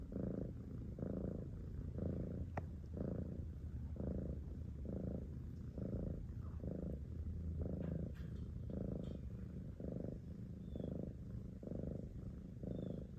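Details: Domestic cat purring close up: a continuous deep rumble with regular surges roughly every second as it breathes in and out, with a faint click or two in the background.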